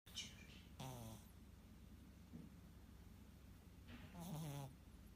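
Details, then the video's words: Domestic cat asleep on a piece of cardboard during a sweet morning nap, its bed lying nearby, giving low, rasping snores with a droning, slightly falling pitch. Two drawn-out breaths about three seconds apart, quiet stillness between them. "Кот храпит."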